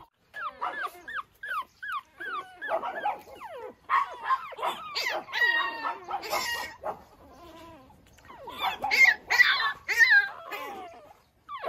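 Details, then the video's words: Early morning outdoors, Pekingese puppies whimper in short tonal sweeps, rising then falling, repeated quickly, building into denser overlapping whines and a few sharper yelps toward the close. "찡찡이 아기페키"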